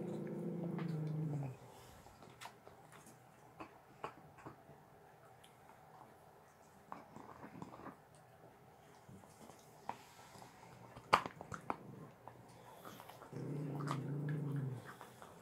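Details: Two pet dogs, a Staffy and a whippet, gnawing sterilized bones on a bed in a small room; brief low growls open and close a stretch of scattered crunching, gnawing and clicking.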